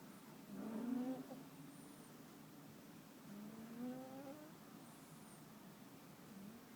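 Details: Muffin, a cat, snoring in sleep: two soft whistling breaths about three seconds apart over a faint background hum.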